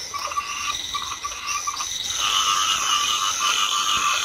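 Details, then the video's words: Rice-field frogs, Chinese edible frogs, croaking in light rain: scattered pulsed croaks at first, then the whole chorus swells into a continuous loud rattling din over hissing background. "ซาวด์เอฟเฟคเสียงกบร้อง สนั่นทุ่ง Frog Sound Effect"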